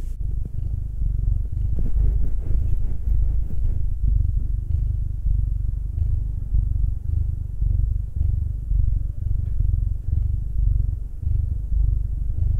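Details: Massaged house cat, either Will, a black male aged nine, or Anzu, a female tortoiseshell Munchkin aged two, producing a low, engine-like rumbling purr that pulses evenly and keeps going for the whole stretch.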